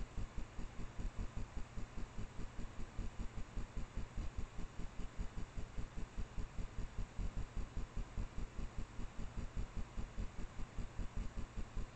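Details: Steady low throbbing hum pulsing a few times per second over faint background hiss, with no animal calls heard.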